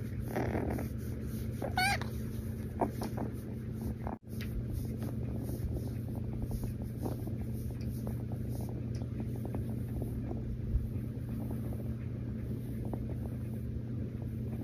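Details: Female rescue kitten purring during a cuddle, a loud, even, low rumble throughout, with a short rising-and-falling little meow near the start and a sudden brief dropout shortly after.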